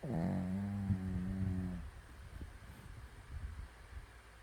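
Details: Fifteen-year-old Shih Tzu asleep and snoring: a low, droning, harmonic tone holds for almost two seconds, then gives way to softer, rough, rumbling breaths near the floor of the range.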